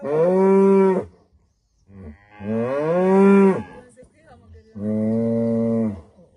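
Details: Cow lowing at sunrise in rural Rwanda, a female greeting the day: three moos at uneven intervals, the middle one swelling and bending upward before falling away, the last one flat and steady.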